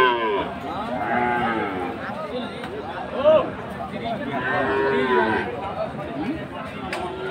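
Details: Friesian and crossbred bull calves at Aftabganj cattle market, Dinajpur, on Saturday 11 March; several drawn-out, arching moos, one rising sharply near the middle and a long lowing call later, over steady crowd chatter and market bustle.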